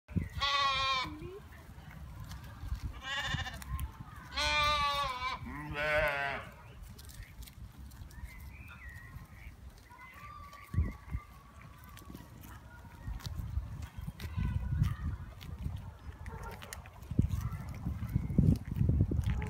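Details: Lamb from a grazing flock in Pijnacker Noord, Netherlands, bleating while looking for its mother: four wavering, quavering bleats in the first seven seconds, then rumbling wind or traffic noise with faint distant sounds.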